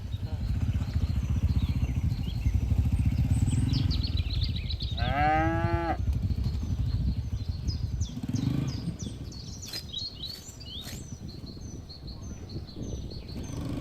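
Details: Cattle in a herd grazing in a green field give a single drawn-out, rich moo lasting about a second, set against steady wind rumble, with scattered high bird chirps and a brief low thump later.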